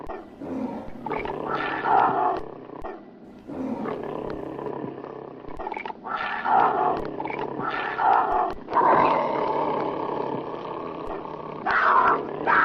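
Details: Tiger; roar; aggression while fighting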